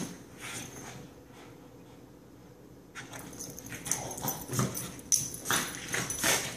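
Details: Benny and Lilly, two dogs going crazy again: after a quieter opening with faint scuffs, a run of high yips and whimpering bursts breaks out and repeats rapidly. A voice follows afterward.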